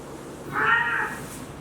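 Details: Kitten looking for its mother, a single drawn-out meow with a bright harmonic band rising slightly then falling, about half a second long, in a quiet indoor space.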